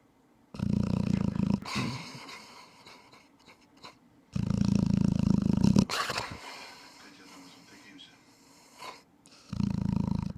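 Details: Thai Ridgeback snoring indoors: three loud, low, rumbling snores about four seconds apart, each lasting over a second, with quieter raspy breathing fading out between them.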